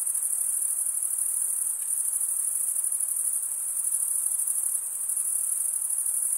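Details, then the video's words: A constant, piercing high trill from chirping crickets, made by rubbing the wings together. It keeps an even loudness throughout, with slight dips near two and four seconds, and has no other noises behind it. "cricket sound"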